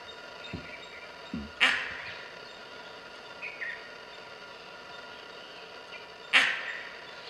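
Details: In Nagarahole Tiger Reserve, a gray langur gives alarm barks at leopards: two loud, harsh, abrupt calls roughly five seconds apart, with soft thuds, faint chirping birds and a constant hiss of forest insects.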